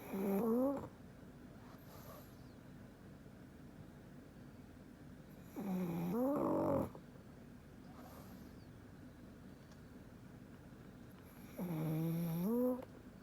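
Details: Black pug asleep indoors, snoring in three long breaths about five seconds apart; each is a nasal, rising whine over a rough rasp, with a quiet room between breaths.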